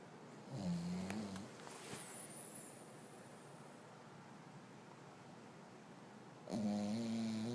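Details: A pet dog named Whisky snoring, said to sound like a human, indoors: a low, droning, harmonic snore near the start, a long quiet stretch of soft breathing, then another steady buzzing snore rising at the end.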